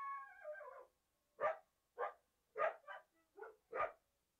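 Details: Coyote: a short falling tonal howl, then a series of sharp, rough barks roughly every half second, with silence between them.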